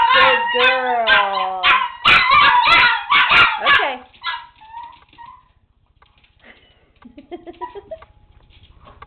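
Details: Two Chihuahuas howl together, "singing" their version of the Oscar Mayer Wiener song in high, wavering yips and drawn-out wails that fade into softer whimpers.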